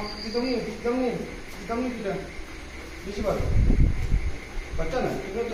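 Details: German Shepherd and Labrador reunited with their person after ten days apart; a run of high, arching whines repeated about every 0.8 seconds, then a louder, rougher burst of vocalising, over steady background hum.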